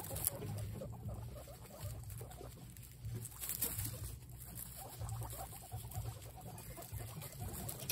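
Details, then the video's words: Excited guinea pigs giving a continuous low, purring rumble, with soft scattered squeaks and rustling patter over it throughout. "Exited Guinea pigs make noises"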